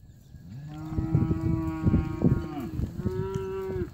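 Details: Red Brangus cows from a lot of 98 cows in Brazil mooing: two long, droning, harmonic moos with a slight rise at the end, the second starting about three seconds in, over thumps and low rumble.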